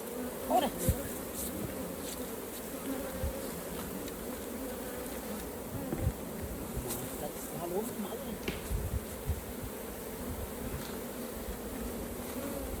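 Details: Steady buzzing hum of many honey bees at the hive during honey harvesting, a constant low drone with occasional faint knocks and brief murmured speech in the background.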